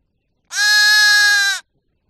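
A sheep gives one steady, nasal bleat lasting about a second, fairly high-pitched and even throughout, with silence around it.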